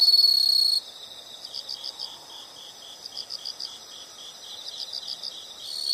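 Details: Insects in a nature recording: a short loud shrill trill opens, then quieter rhythmic pulsed chirping continues in groups of rapid beats, with the bright trill returning at the very end.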